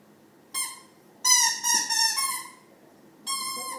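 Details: Male pet Rottweiler making weird noises at a person's feet indoors: high, clear whining tones with strong overtones, in three separate bursts of under a second each, the middle one wavering and slightly falling.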